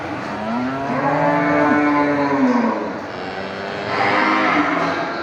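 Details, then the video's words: Water buffalo calling its friends at a market with a long, steady, low harmonic moo held for about two seconds, then fainter calls, over busy market background noise. "the sound of buffalo cows in the market calling their friends"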